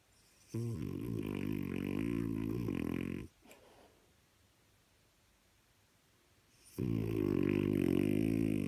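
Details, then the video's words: French Bulldog indoors while its owner tries to watch TV, making two long rough snorting, grunting bursts of about three and two seconds, separated by a quiet gap with room hiss. "Trying to watch tv with a French bulldog"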